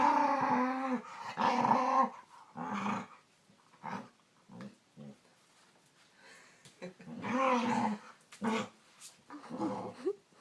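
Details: Pet dog indoors making weird vocal sounds: a couple of long harmonic growl-moans, then scattered short grunts and whimper-like bursts with quiet gaps between them.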